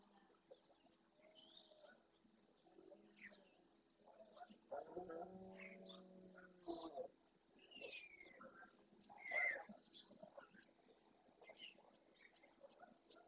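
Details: At dawn in Doñana's marshland, Spain, a dominant red deer stag with his harem near the Francisco Bernis centre gives a two-second harmonic roar to court females and warn off rivals, amid scattered chirping birdsong.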